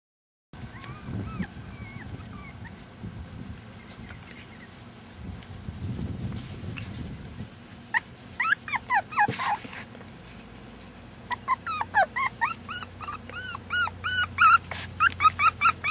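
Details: Several Rat Terrier puppies born in rescue in June 2015, recorded in July 2015. After a quiet, low rustling start, high thin whimpers and yelps break out, then quicken into a rapid overlapping chorus of squeaky cries.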